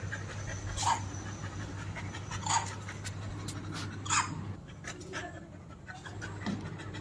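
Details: Goldy, a female Labrador Retriever, pants while visiting her grandmother's home. Steady breathy panting runs under a constant low hum, with a few brief sharper bursts about every second and a half.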